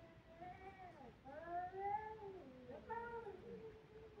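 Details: Kittens crying: a run of drawn-out, wavering meows, rising and falling, each about a second long, following one another closely over a quiet background.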